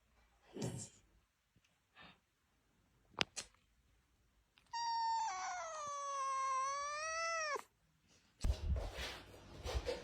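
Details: Pet cat called Stinky, indoors, lets out one long drawn-out meow lasting about three seconds, steady then dipping and rising at the end, amid scattered thumps and household noise.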